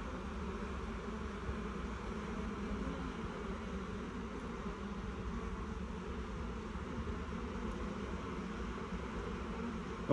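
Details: Honey bee swarm crawling into a new hive box instead of being shaken in, a dense steady hum with a band of buzzing around the low-mid range throughout, no gaps, held at an even level for the whole stretch.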